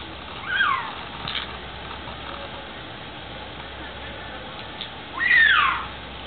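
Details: A captive cougar perched high in a tree at the Oregon Zoo gives two loud, whistled, bird-like calls that each slide steeply downward, about five seconds apart, with faint background murmur between them.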